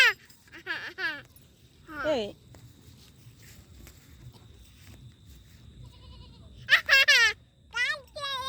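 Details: Goat heard with a baby, giving several loud wavering bleats in bursts, a pair near the start, one at two seconds, then a rapid cluster near the end, with quiet gaps and faint speech between.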